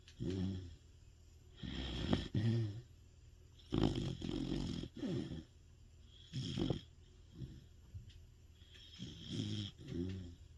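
A large Sapsali dog snores loudly in deep, rumbling bursts as it sleeps.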